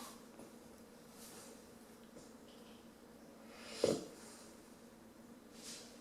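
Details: Bambi, a female Rottweiler puppy aged 10 weeks, fast asleep with quiet rasping breaths. A single sudden, loud snort or sneeze breaks in partway through, followed by another soft breath near the end.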